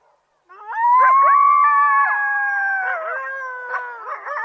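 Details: Coyotes howling in a rising then long held wavering tone, with yips and quavers breaking in over the steady note.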